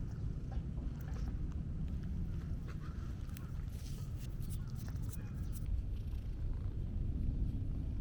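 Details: Black-and-white stray cat with a split-face marking, met on a walk, purring while being stroked at length; a steady low rumble fills the clip beneath handling rustles and soft voice-like sounds.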